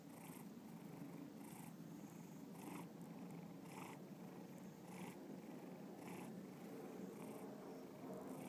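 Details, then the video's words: Bubba, a pet cat, purring close up: a steady low rumbling purr that swells and eases in a regular rhythm, a little more than once a second, with no other sounds. "Bubba Purring"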